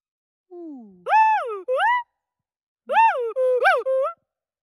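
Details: Agile gibbon. An agile gibbon calls with a few clear, musical hoots, each sliding up and then down in pitch. The notes come in two short bursts, the second faster and more excited than the first.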